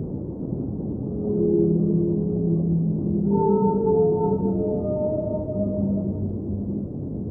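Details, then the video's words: Underwater whale singing set in a soothing soundscape: several overlapping moans and wavering tones, some low and some higher, rise and fade across the clip above steady deep water rumble. "Underwater Whale Sounds - Ambient Soundscape | Whale Singing"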